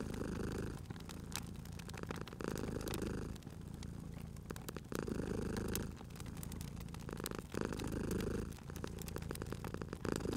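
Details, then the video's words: Rhythmic purr of a sleeping cat at a crackling fire, soft rumbling phases alternating with slight dips every couple of seconds, accompanied by steady crackles and occasional loud pops of burning wood. "Cute Purring Cat at a Crackling Fireplace"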